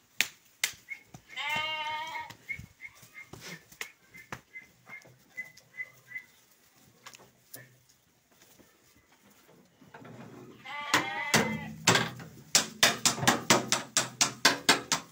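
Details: Two quavering bleats from male sheep for sale in Guelma, part of a group of 23, are heard early and late. A steady high tone, scattered clicks and a run of rapid knocking sounds fill the gaps.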